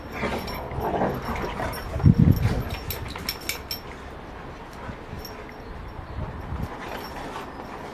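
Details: Rottweiler in rough play, with a loud, low, gravelly growl burst near the two-second mark, then softer intermittent grumbles and scattered clattering noises.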